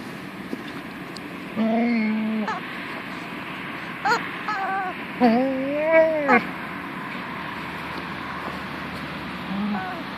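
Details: Female pet dog Punky 'talks' to her toy chicken: several short tonal moans and whines, some bending up then down, spaced across ten seconds with quiet gaps and faint background hiss between them.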